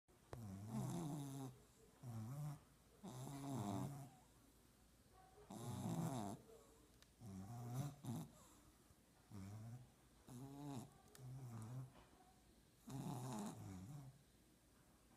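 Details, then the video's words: French bulldog puppies sleeping, snoring in regular bursts: low rumbling snores with harmonic bands, each lasting about a second, separated by short quiet pauses, recorded indoors. "Snoring french bulldog puppies"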